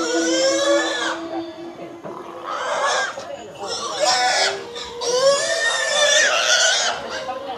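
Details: Domestic pigs in a village scream in loud, harsh, strained bursts, sounding human-like, over a man's voice.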